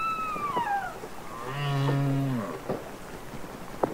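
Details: Humpback whale song recorded underwater, from the Capitol Records ST-620 release of real whales singing: a high whistle gliding downward, then a low, droning moan rich in overtones that swells and fades, with faint clicks after.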